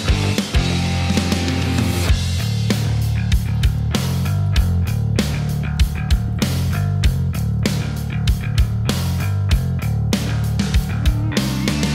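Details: Heavy rock music with distorted guitar and pounding drums throughout; no animal is heard.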